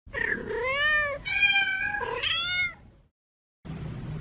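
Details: Ginger stray cat, female, neutered and blind in one eye, found down a side street in a quiet neighborhood while being given food; gives three long drawn-out harmonic meows, the first rising then falling, followed by a short pause and faint background noise.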